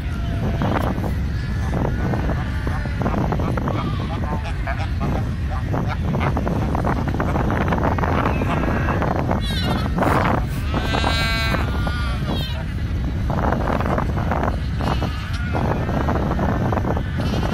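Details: At Cape Cross, Namibia, in 2018, young seals in a crowded colony give hoarse, bleating calls over a steady low rumble.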